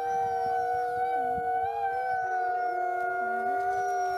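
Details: Critically endangered Mexican gray wolves, captive in a conservation breeding program, howling in their den on a windy day; several overlapping steady, drawn-out howls hold level pitches throughout, with a few brief dipping notes woven through the chorus.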